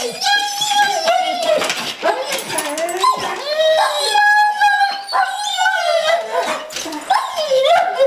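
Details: Excited dog, shaking with eagerness to go to the park, making near-continuous whining, yodel-like cries that bend up and down, strongly harmonic and repeated in long slurred phrases, with a person's voice mixed in.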